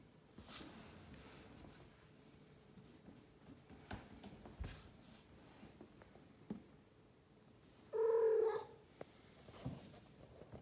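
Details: A female blue Maine Coon cat, a "talking" cat, gives a single short, clear meow in an otherwise quiet room.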